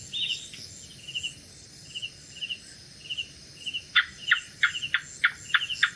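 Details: Gecko at night: a run of short buzzy double chirps about every half second, then sharper clicking notes in quick succession, over a steady high insect hum.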